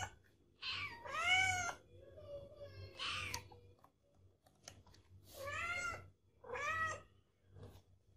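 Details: Kitten or cat in a compilation of meowing cats, giving four loud, rising-then-falling meows about every two seconds over a low indoor hum.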